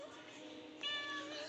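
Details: Pet cat at home meowing with a clear harmonic cry in the second half, after a stretch of quieter background.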